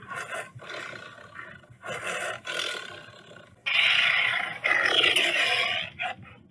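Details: Tiger roaring in harsh, rasping bursts, the first ones short and separated by pauses, then two longer and louder roars near the end.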